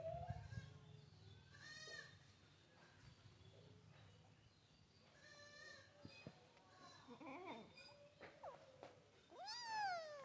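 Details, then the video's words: A tiny baby kitten gives a run of thin, bleat-like meows, some short and uneven, ending with a clearer rising-then-falling cry, with a low hum and faint handling noises behind. "Tiny Baby Kitten Meowing"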